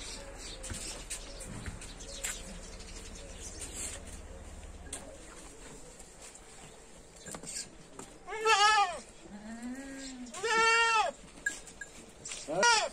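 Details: Goats offered for sale in Lucknow give three quavering bleats in the second half, each under a second, following several seconds of low rumble and background noise.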